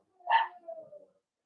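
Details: Cavalier King Charles Spaniel puppies at play with their mother, a blenheim litter of five: one sharp, bright yip that trails off into a thin, wavering whine lasting under a second, in a quiet indoor room.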